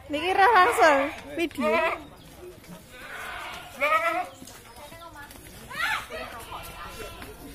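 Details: Goat kept for qurban sacrifice during the slaughter process, giving wavering, quavering bleats in short bursts, with people talking around it between calls.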